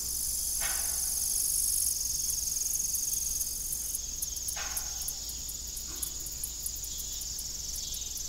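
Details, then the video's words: Evening cricket chorus around an old farm windmill no longer pumping water: unbroken high-pitched trilling with a fast ticking pulse, plus three short dull knocks spaced a few seconds apart. "Evening Cricket Sound"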